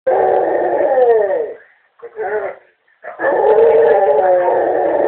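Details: A pet Basset Hound howls at home after hearing a family member's voice on the answering machine: long wavering moaning howls, a brief break with a shorter cry, then another sustained howl.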